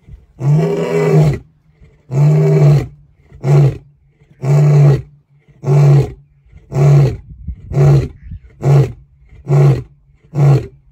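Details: Lion roaring to keep rivals away: a sustained bout of deep, powerful roars, about ten in eleven seconds, the first ones long and drawn out and the later ones shorter and more rapid.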